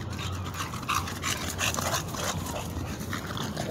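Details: Female pit bull in an urban setting during a tense encounter with a standard bully, giving short, uneven whimpers and yips. Heavy panting and scuffling noise run underneath.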